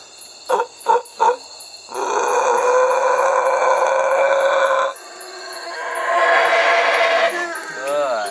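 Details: A howler monkey at Belize Zoo gives a deep, rasping, bass roar rising and falling in long breathy surges, seemingly a territorial call made angrily at people howling at it.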